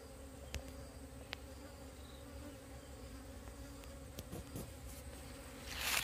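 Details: A wild bee swarm from a split colony during relocation gives a constant humming drone, broken by a few sharp clicks and knocks, with a burst of noise at the end.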